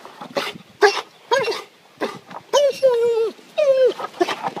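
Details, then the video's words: A pet dog surprised by its owner climbing over the back fence from the neighbours' side; drawn-out high whining and yelping cries, several rising then falling, with human speech between them. "Sneaking up on my dog"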